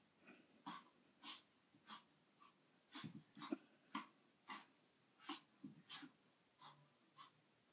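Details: Pet dog making weird sounds indoors: soft, spaced breathy huffs and snorts, roughly one every half second, with occasional low whimpering tones near the end.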